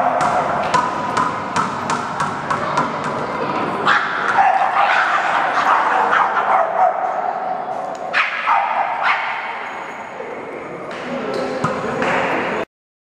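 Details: Boston terrier at a first gathering of a Boston terrier meetup group in Chicago, many dogs present; rapid, fairly regular barking about three times a second, then scattered yips over background chatter from people.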